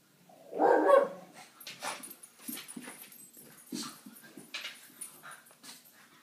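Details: A female French Bulldog, playing with two other French Bulldogs, claims and protects her spot with one loud, rough bark, then a run of softer grumbles and snorts.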